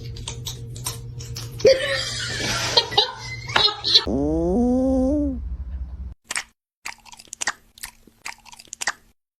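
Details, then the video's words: Kitten giving one drawn-out meow, nearly two seconds long, that rises and then levels off. Crunching and rustling come before it, and people talk and handle objects afterwards. "kitten meowing call"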